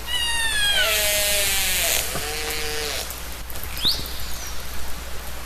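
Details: Ocean whale call for relaxation: a falling harmonic cry drops into a level tone, then a second held note follows. A short rising squeak and broad rushing noise sit underneath.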